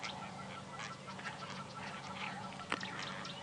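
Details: Tree squirrel's harsh, rapid chattering alarm of repeated scolding bursts against a hissing background, one sharp louder note near the end, at sunrise on 4 February 2017 in a South African game reserve; very angry at something unseen, possibly a snake, near a Wahlberg's eagle nest.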